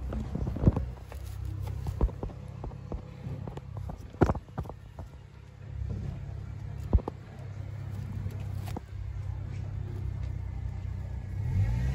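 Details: Low traffic rumble along a street with scattered footsteps, a few sharp knocks and faint background music, with no animal voice heard.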